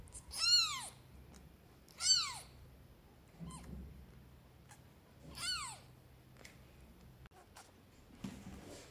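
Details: Newborn stray kittens, rescued and on their first day indoors in a flat, meow for their mother and for food: three loud, high, drawn-out meows that fall in pitch, then a fainter one, in a quiet small room.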